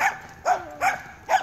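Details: Weimaraner, seven months old, in training, giving four sharp barks spaced about 0.4 seconds apart, each a short bright burst with a strong harmonic stack.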